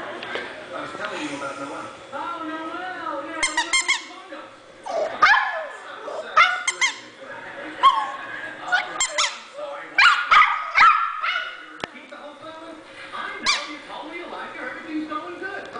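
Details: Dog barking indoors: short, sharp, high-pitched barks in scattered bursts, some in quick pairs or triplets, with a person talking between and over them in a room.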